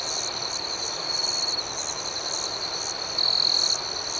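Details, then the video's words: Nighttime cricket chorus with a continuous shrill trill and rhythmic higher chirp pulses. Near the end, one insect swells into a louder, sustained ringing note for about half a second over a soft natural background hiss. "Soothing Cricket Sounds"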